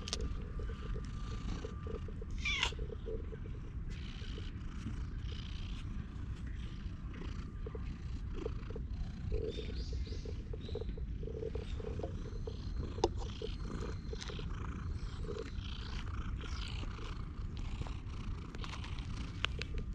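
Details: Stray cat sitting on a lap on a park bench while being stroked, recorded with a GoPro: a steady low rumbling purr throughout, with rustling and handling noises and faint distant tones.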